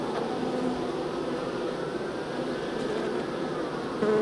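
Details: Honey bees being moved from a nuc into a hive: a steady, low droning buzz with even humming tones throughout and a slight rise in loudness at the very end.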